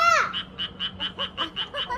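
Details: A frog's song of regular, high clicking pulses, roughly four per second, opening with a loud sliding voice-like sound and mixed with softer warbling notes between pulses.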